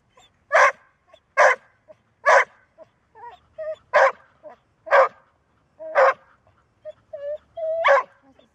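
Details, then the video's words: Female Golden Retriever that seldom barks, barking only when needed: seven loud, sharp barks at roughly one-second intervals, with soft whining, squeaky yelps filling the gaps between them. ""Bellen", Golden Retriever"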